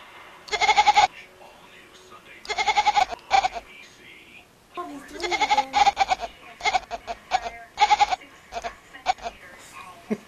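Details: A domestic cat gives loud, wavering meows that sound strikingly like a goat's bleat.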